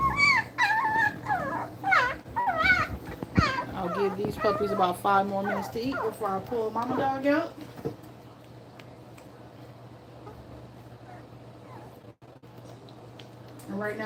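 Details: Two-week-old puppies at the teat squeal and whine in quick, rising, wavering cries for the first half, then fall nearly silent apart from faint rustling.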